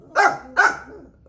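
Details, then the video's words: Excited house dog barking as if it had spotted an animal outside after hearing there was a dog or cat there; two loud, slightly hoarse barks about half a second apart, then a quiet tail. "How to make your dogs bark."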